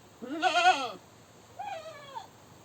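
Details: A screaming goat gives a strong, wavering bleat, then a shorter, fainter, falling bleat half a second later.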